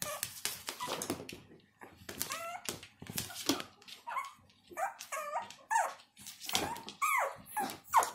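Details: Whining from a Maltese puppy, with tonal, wavering squeals rising and falling. They are mixed with harsh, scratchy bursts of rustling or handling noise throughout, at irregular intervals.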